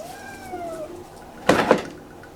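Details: Kitten Inari, usually free to roam the room, meows unusually after being put in a cage during ironing: one drawn-out, slightly falling cry of under a second, followed by a loud double knock or clatter.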